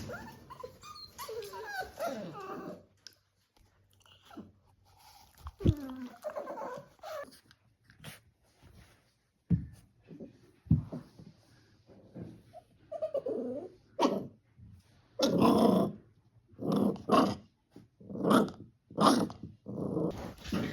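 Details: Staffordshire Bull Terrier; bark, growl; puppy play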